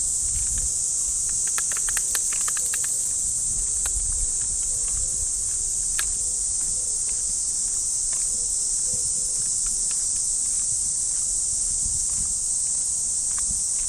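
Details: Cicadas shrill in the trees of a Japanese park on an early summer morning, a steady high buzzing chorus running without a break, with footsteps on the path and rustling ticks during a walk with a Shiba Inu.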